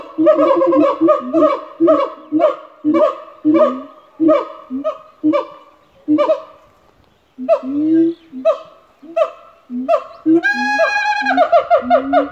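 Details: Three siamangs at a zoo in Australia give their loud territorial call to establish territory, a series of resonant, honking barks repeated about twice a second; after a brief pause the calls return and climb into higher, ringing whoops.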